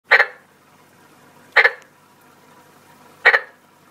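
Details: A pet frog gives short, loud, rasping croaks, each burst repeated about every one and a half seconds.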